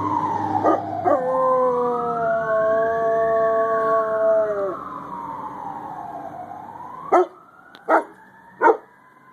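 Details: A Chinook dog howls along with fire truck sirens, as he has since he was a pup, giving a long, wavering, harmonic-rich note over a rising and falling siren.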